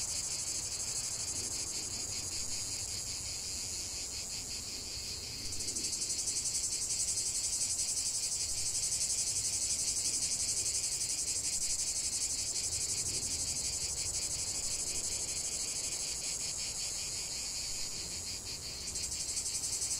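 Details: Cicadas singing in nature: a dense, high, hissing buzz with fast rhythmic pulsing that swells and shifts tone near five seconds and again near nineteen, continuous with no other clear sounds.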